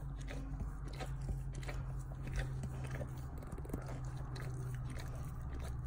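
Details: Close, loud gnawing and slurping as a dog works at its rear end: a steady stream of soft crunches and lip smacks over a strong low hum.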